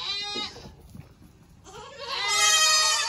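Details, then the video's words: Baby goat kids on a farm at the end of kidding season: a short wavering bleat, a pause, then a longer loud nasal bleat rising and holding, bright and harmonic-rich. "So many LOUD baby goats!"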